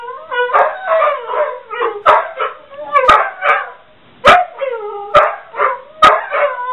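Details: Two domestic dogs including Ulla howl in chorus after the home office phone rings, feeding off each other; long sliding howls interrupted by sharp barks roughly every second.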